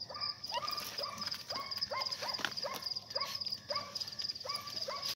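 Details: A Saluki being raised for hunting gives quick, high yelps that rise then drop, about two a second, over a steady shrill insect drone.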